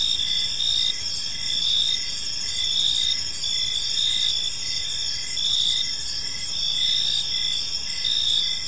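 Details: Crickets calling at dusk in a peaceful park: layered high trilling chirps, continuous and fairly even, with a quiet low background rumble.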